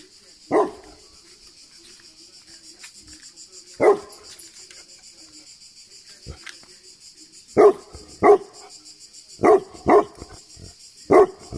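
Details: Tibetan Mastiff barking in Greece: deep, loud woofs spaced widely at first, then coming faster in a cluster near the end, seven in all, with faint talking and a constant high whine behind.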